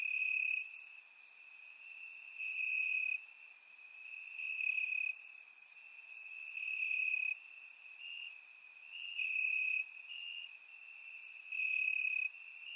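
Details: Crickets chirp at night in Bulgarian summer grass: a constant shrill tone at a single pitch, pulsing louder and softer every couple of seconds, with sharp, very high insect buzzes scattered above, captured by a surround microphone.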